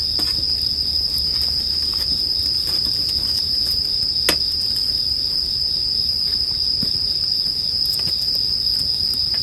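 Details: Unbroken bright trill of bell crickets for relaxing sleep listening, accompanied by soft, sparse crackling of a bonfire and an occasional louder pop.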